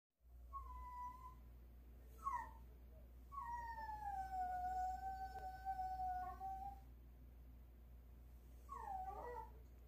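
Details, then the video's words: Pet dog whining early in the morning while begging for meat, a high whistle-like cry: long thin tones, one gliding slowly downward over three seconds, plus short rising yelps, over steady low household hum. "아침 일찍부터 꼬기🍖 빨랑 달라고 피리소리ㅜㅋ"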